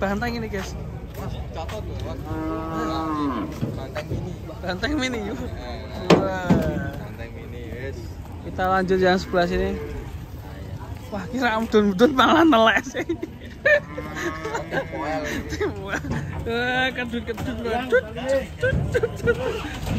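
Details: Cattle being loaded onto a truck that tipped over during loading; several drawn-out, low moos with rising and falling tones, overlapping people's voices and outdoor commotion.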